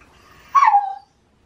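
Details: Shiba Inu, autumn mating season, early morning, pestering for a walk: a short, clear cry with a sharp start and a quick downward slide into a steady lower note, ending abruptly, with no other sounds.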